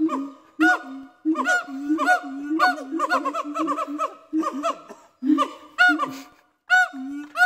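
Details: A siamang family at a zoo sings territorial song, loud ringing whoops and rising barks in rapid overlapping bursts; the female starts and the male finishes, warning other siamangs away from their territory.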